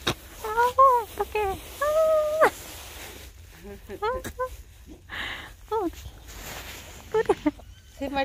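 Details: A litter of mixed-breed rural puppies, 6 February 2022, makes a string of thin, bent whimpers, each quickly rising and dropping. A longer steady whine comes near the start, then quieter squeaks follow with pauses between.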